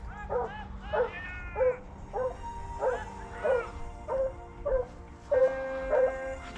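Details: Hunting dogs giving tongue at the start of the second roe deer drive hunt; steady chorus of yelping, slightly wavering bays repeated about every half second, several voices overlapping, low rumble of wind beneath.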